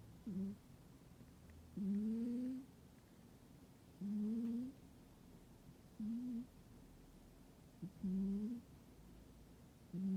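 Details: Soundly sleeping house cat, indoors in winter, snores steadily: each breath a low nasal hum that rises slightly in pitch and lasts under a second, repeated about every two seconds in a calm room.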